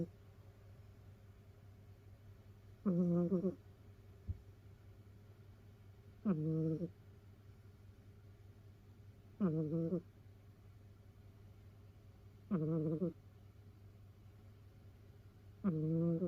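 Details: Whistling snores from a domestic cat sleeping in a heap of rescued cats, close to a housemate's ear: five even, reedy, slightly wavering tones about every three seconds, over a constant low room hum.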